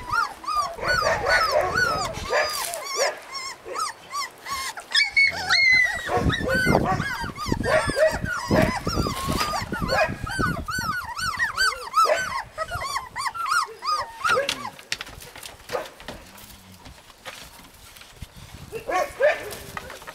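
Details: Husky puppies in Lapland, a chorus of several pups giving high, arched whining yelps in rapid overlapping bursts, rising and falling in pitch, tapering to sparser calls toward the end.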